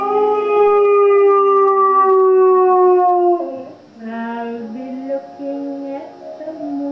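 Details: A Basset Hound "sings" along to a song, giving a long, tuneful howl that slowly slides downward over the music playing behind.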